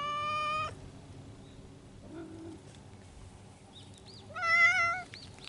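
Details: Feral mountain cats courting in spring: a loud, harmonic-rich drawn-out yowl opens, a low brief moan follows, then a second rising, wavering wail near the end, with faint chirping and thin background noise between.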